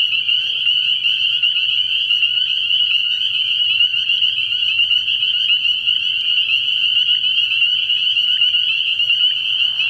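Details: Many spring peepers calling together from a frog pond at night early in the year. High, bell-like peeps overlap without pause into a constant shrill chorus, steady throughout, with no other clear sounds.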